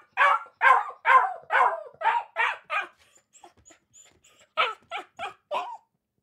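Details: Akita puppies giving a string of strong high barks, then faint whimpering squeaks, then a few more short yaps.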